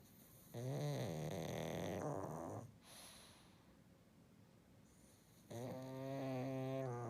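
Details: Pet pug asleep, snoring: two long rasping, harmonic-rich snores separated by a quiet pause of about three seconds, with low steady breathing between them in a calm indoor setting.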